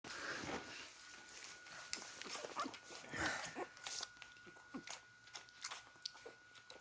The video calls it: These Beagle Puppies Make Sweet Funny Sounds While Drinking Milk.